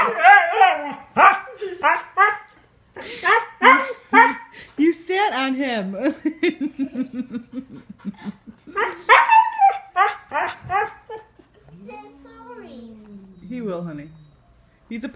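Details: Male Siberian Husky telling off a cat after it swiped at him: a run of harmonic, yowling woo-woo barks and grumbles, rising and falling, ending in a drawn-out descending whine, with people talking over and between the calls.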